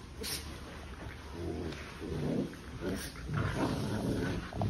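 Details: Playful sibling puppies making rough, breathy growls and grumbles in uneven bursts, about one every half second, with a steady faint hiss behind them.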